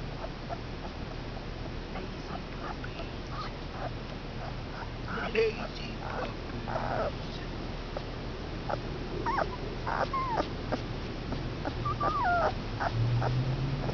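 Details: Komondor puppies, five males two weeks old, whimpering and squeaking in short rising and falling whines, some slurred upward squeals, over a steady low hum with a person talking between calls.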